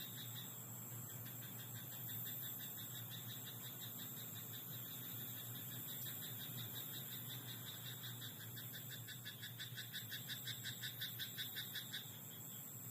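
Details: A frog in a rice paddy at night calls with a dense, rhythmic rattle of short pulses. Faint bursts come early, then a strong rapid series near the end, against a steady high hiss and low drone.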